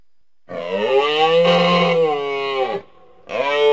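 A moose gives a long, nasal, moaning bellow that swells and then drops away.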